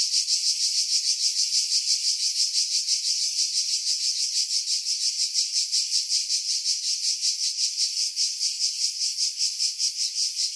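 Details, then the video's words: July 2018 cicadas on Skiros Island, Greece, singing in pine trees some 50 m above the sea at Pefkos Bay: an unbroken sizzling buzz, bright and high, swelling and fading in quick pulses near three each second. "Cicada Sounds, July 2018 Skiros, Greece"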